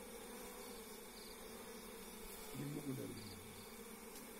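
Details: Continuous low drone of wild forest honey bees during a bare-handed hive harvest, a man's voice briefly speaking over the buzzing partway through.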